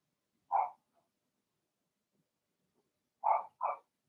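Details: Blenheim Cavalier King Charles Spaniel puppies from Remy's first litter of six, born March 7–8, in the indoor puppy pen. One short, bright yip-bark, a long pause, then two quick barks in close succession in an otherwise quiet room.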